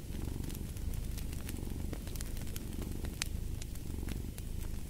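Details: Relaxing purr of a domestic cat, a deep buzzing rumble pulsing softly with inhale and exhale, accompanied by frequent crisp crackles and pops of a fireplace.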